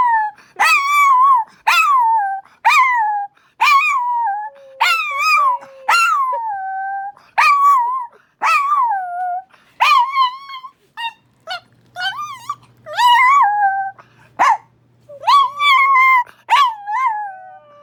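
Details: Female Chihuahua Winnie howls at the Minneapolis tornado siren on its monthly first-Wednesday test, a sound that upsets her. A long run of short, yodeling howl bursts, roughly one per second, each swooping up then dropping, growing more irregular toward the end.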